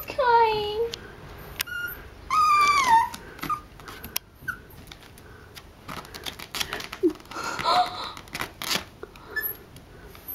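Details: Mickey, a pet dog, cries and shakes while being teased. Thin, wavering whines slide downward in two short bursts early on, then people chatter with scattered clatters and brief squeaks.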